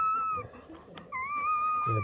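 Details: Newborn German Shepherd puppy, one of Betty's litter born during a night of labour under a dim camping light indoors, gives a thin, steady high whine in two drawn-out stretches, the second longer, with faint human voices in the background.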